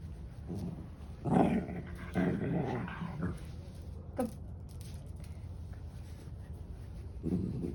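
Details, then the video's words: Senior dog, 13 years old, with a heart murmur, recorded 24 May 2023, vocalizing: low grumbling, moaning bursts around the first three seconds, a short thin whine near four seconds, then a last low grumble at the end. "Can't help being vocal, Senior dog 13 with heart murmur"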